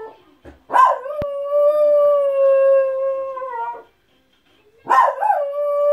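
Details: A pet Miniature Schnauzer, barking and howling at people walking by, gives two long, steady, mid-pitched howls, each starting with an abrupt, bark-like burst.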